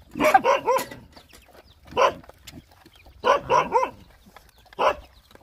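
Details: Short bursts of squeaky yelps come from Rottweiler puppies nursing while hungry, grouped in pairs and triplets with brief falling tails and pauses in between.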